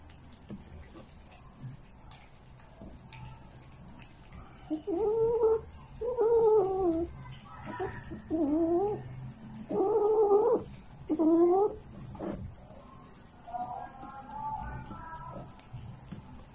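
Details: A domestic cat lets out about six drawn-out, wavering meows, each roughly a second long with a bending pitch, spaced by short pauses, over a low indoor background hum.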